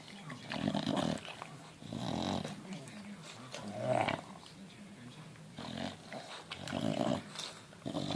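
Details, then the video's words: Newborn Bulldog puppy, four days old, giving nasal squealing grunts in bursts roughly every second or two, each with a wavering, slightly rising tone, in a quiet indoor room. "4 Day Old Bulldog Puppy"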